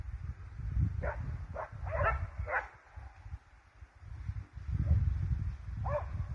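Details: Hunting hounds and Russo-European laikas chasing a wild boar give short, sharp barks in quick bursts over heavy, low rumbling wind.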